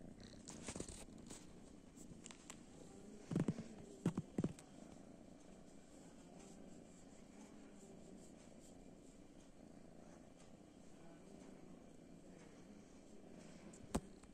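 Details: Kitten sitting on a sofa and asking for affection, purring softly and steadily throughout in a low continuous rumble, broken by a few brief soft thumps and clicks early on in a quiet indoor room.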